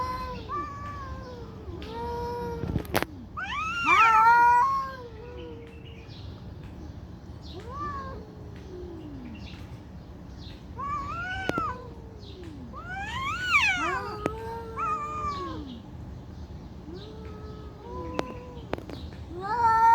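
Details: Two cats fighting for a long time: a sustained exchange of moaning yowls rising into strained, higher wailing bursts, with a few sharp clicks and knocks between calls.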